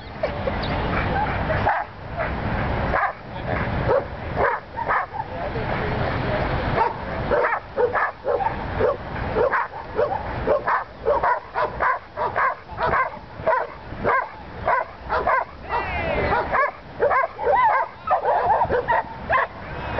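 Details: Welsh Corgi Willie barks at sheep during his first herding session in Long Beach, California: loud, abrupt yaps repeated roughly twice a second, with voices talking in the background.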